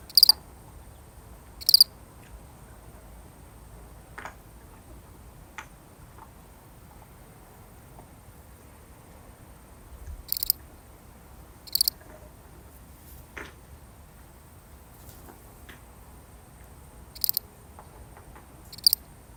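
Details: A single lonely cricket, a real recording, gives short high chirps at irregular, widely spaced intervals, several seconds of quiet between some, over a faint steady background hiss.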